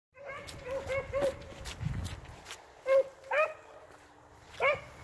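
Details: Beagles, an 8-month-old pup with an experienced male, trailing rabbits such as cottontails and swamp rabbits; a few scattered, ringing baying barks over faint background noise, with softer yips between them.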